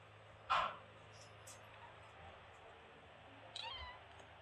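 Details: Kitten met on vacation in Greece, making short sweet beeping sounds: a sharp, bright chirp at the start, then after a pause a second short harmonic call that slides downward, over a low steady background hum.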